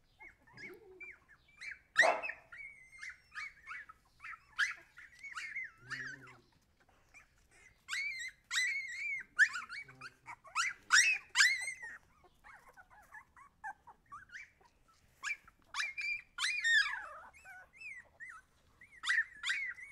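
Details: Several Siberian Husky puppies whine and squeal in bursts separated by short pauses. The cries are high, wavering and often drawn-out, with a few sharper yelps and scattered fainter sounds in between.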